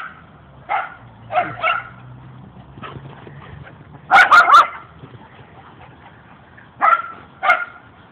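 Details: Playing dogs, two of them, giving short yips and barks in small clusters, including a rapid triple burst midway, with softer whiny, tonal notes and quiet gaps between.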